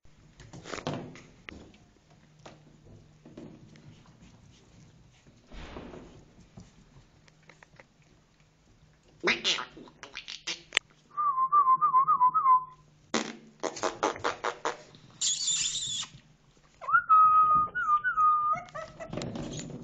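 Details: Two-month-old Shih Tzu puppies from a mini-sized litter give two bursts of wavering high-pitched whines, each about a second and a half long. Knocks, handling noises and brief human voices surround them.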